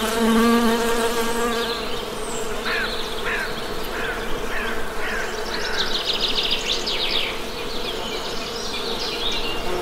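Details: Honey bee buzzing, with a strong steady drone and clear harmonic layers at the start, then an ongoing hum beneath a series of sharp, repeated bird chirps.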